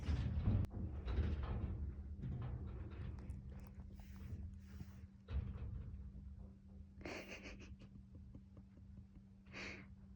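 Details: Cat snoring loudly during an afternoon nap, low rumbling breaths under a steady hum, with two breathier, hissing exhalations standing out near the end.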